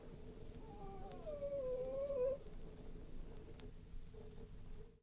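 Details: Cairn Terrier whining: a single drawn-out nasal whine lasting about two seconds, wavering and then rising slightly before breaking off, followed by near silence over a low steady background hum.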